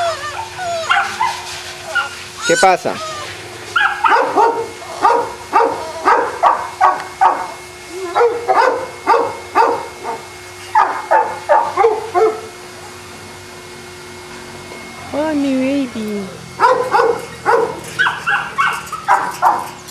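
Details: Boston Terriers at a Jamundí kennel near Cali, Colombia, yapping in quick irregular runs of sharp barks, with a short pause and a rising whine partway through, then more rapid barking.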